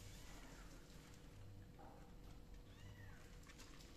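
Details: Kittens meowing indoors: two faint, short meows, a rising-falling one near the middle and a higher arched one shortly after, set over a steady low hum and background rumble.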